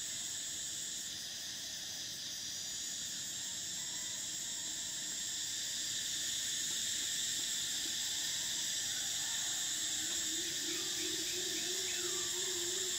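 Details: Summer cicadas in Thailand buzz in a continuous shrill chorus that swells slightly louder partway through, with faint quick chirping notes and a low wavering tone late in the recording.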